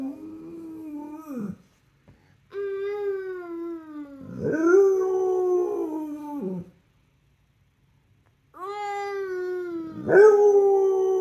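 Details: A rescue pit bull gives long, wavering howls that slide downward in a sing-along, with a second voice joining in.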